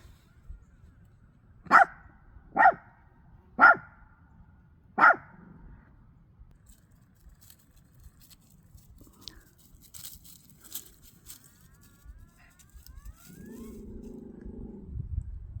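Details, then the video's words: Pomchi dog barking at trees that make noises as the wind blows; four sharp, loud barks about a second apart, then quiet with faint rustling and a short low whine near the end. "Pomchi Casper Barking At Trees Making Noises From The Wind Blowing"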